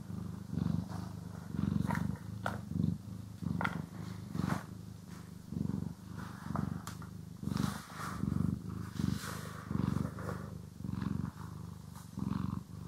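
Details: Domestic cat being brushed and groomed, recorded in stereo; a steady low purr pulses rhythmically through the whole stretch, overlaid by frequent light clicks and scratching strokes from the brush.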